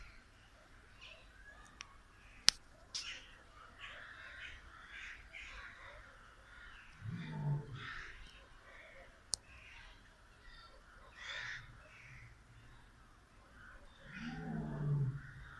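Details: A male lion pacing nervously in his zoo enclosure at Târgoviște, Romania, gives two deep, rough moaning calls several seconds apart, with birds chattering behind.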